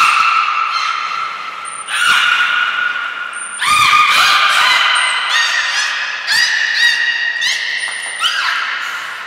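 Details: Belugas Hodoi, Taanya and Mirai during a training session at the Port of Nagoya Public Aquarium, November 2020. They give bright, harmonic squawks and chirps that rise and fall. Thin, high trainer-style whistle blasts sound between the calls.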